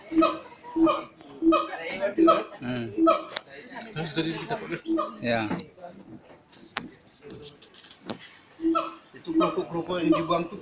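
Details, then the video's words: Siamang at Gunung Gerute in Aceh Barat, Aceh, giving a series of short harmonic barks repeated roughly every half second, then a noisier jumbled stretch before the barking resumes near the end. "Suara Siamang Gunung Gerute Aceh"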